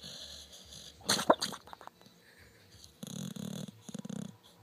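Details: Female dog making weird snoring, wheezy sounds while sleeping: a sharp snort near the start, then a run of short rattling, grunting breaths toward the end.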